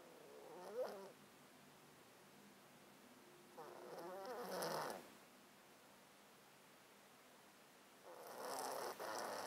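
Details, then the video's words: Sleeping male domestic cat curled in a box, close-miked, breathing snottily because of a long-standing illness of 13 years; three wheezy, rattling breaths roughly four seconds apart, each with a faint whistling edge, in a quiet room. "HD Cat Breathing White Noise"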